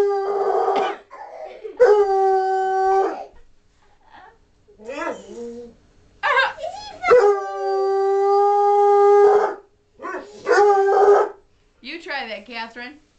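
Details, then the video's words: Redbone Coonhound howling while entertaining children indoors: repeated long, level, harmonic-rich howls of one to two seconds, one held over two seconds, between short yips and children's voices. "Howling Fun"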